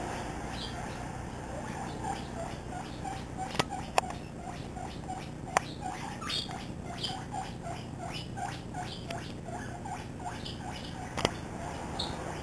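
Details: Seven-week-old pet guinea pig named Misty, free-roaming in a living room and chattering while running around with another guinea pig, Peanut: a rapid series of short high squeaks, rising then dropping, repeated several times a second, with occasional sharp clicks.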